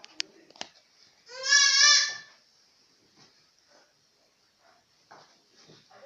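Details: Galla goat kids give a single loud, quavering, nasal bleat of about one second, rich in overtones. It is preceded by a few sharp clicks, with faint scattered rustles and soft sounds afterwards.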